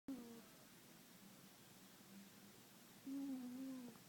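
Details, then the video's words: Puma, a pet cat sound asleep on an organic chemistry book, snores indoors: a low, steady tonal drone with a louder, wavering snore at the start and another from about three seconds to the end. "Snoring kitty"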